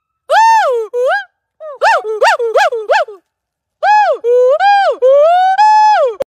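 A gibbon gives a series of loud, tonal hoots, each note swelling up and falling away.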